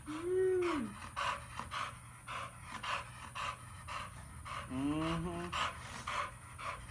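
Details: A pitbull and a chihuahua together indoors, with rhythmic breathy panting pulsing about twice a second throughout, two whiny rising-then-falling tones near the start and middle, and a steady high electrical whine behind.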